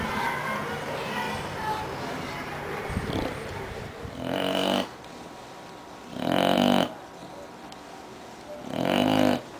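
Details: An English bulldog (Canis familiaris) snores in loud, raspy, rumbling bursts about every two seconds.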